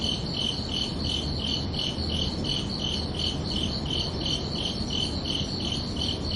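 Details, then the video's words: Under a night sky on a summer evening, crickets keep up rapid, even chirping at roughly three pulses per second, with a low steady hum beneath. "Calming Cricket Sounds for Relaxation"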